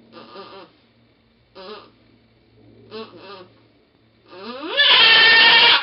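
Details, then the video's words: Goat Pong in labour with twins on 2/11/11 gives short, nasal, harmonic bleats, a quick double call, then a rising strained bleat that breaks into a loud, harsh scream. "goat giving birth"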